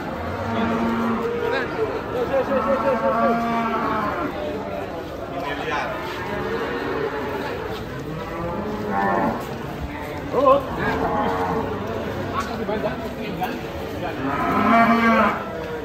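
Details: Giant Pegon cattle, one of two animals each close to one ton, one weighed at about 850 kg, lowing again and again: several long, deep, harmonic moos spread across sixteen seconds, with faint human chatter underneath.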